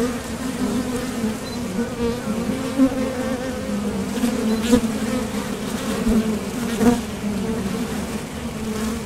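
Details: Honeybees at the entrance of a top bar hive, coming and going to forage for nectar, with flight sound from their thoracic muscles: a steady droning hum with a strong low tone and overtone, and occasional louder buzzes as single bees pass close.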